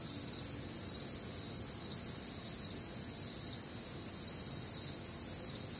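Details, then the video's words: Many crickets calling through a warm, humid summer night in the Midwest; high, even pulsed chirping from several callers blends into a constant ringing drone, nothing else clearly heard. "Night Time Cricket Sounds"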